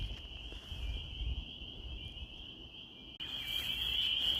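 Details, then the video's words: Massed spring peeper chorus in Maine during spring, near woods with lingering snow: a continuous shrill, high peeping drone that suddenly grows louder partway through, over faint low background rumble. "Peepers until further notice"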